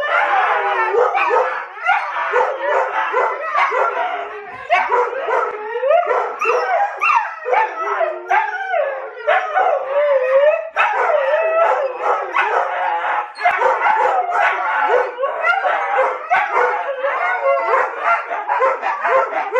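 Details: Pet huskies play-wrestling, rough-looking but friendly: nearly nonstop overlapping woo-woo howls, whines and growly yips, bending up and down in pitch, with a few brief pauses and one drawn-out wavering whine in the middle.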